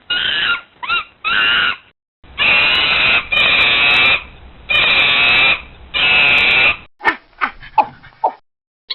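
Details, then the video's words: Monkey screech: loud, harsh, drawn-out screaming bursts of about a second each, repeated with short gaps, followed by several quick, sharp yelps. "The Screech of a Monkey"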